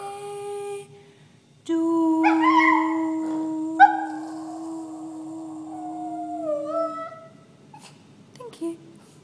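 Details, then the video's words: Toy poodle singing in long drawn-out howls, one steady low note held for several seconds with a higher wavering line above it, ending in short yelps and soft whines. "Singing toy poodle"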